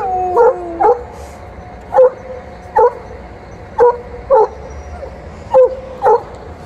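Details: Female Alaskan Malamute in heat, angry at a male Golden Retriever who kept pursuing her, at the end of a morning walk. Short sharp barks repeat about once a second, opened by a drawn, whining two-tone cry.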